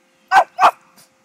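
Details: A four-year-old male Pekingese, freshly shaved for summer, gives two sharp, mid-pitched barks in quick succession, then a faint third yip.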